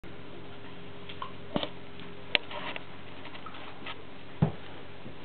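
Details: A quiet small room with low background hiss, a few scattered taps and knocks, and no animal voice heard.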